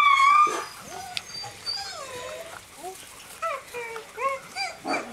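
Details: Greenland Dog puppies, seven weeks old, from three litters playing together in the yard at Tinka's Kennel in June: soft, wavering whimpers and short rising whines, with a brighter squeal at the start and quick yips toward the end.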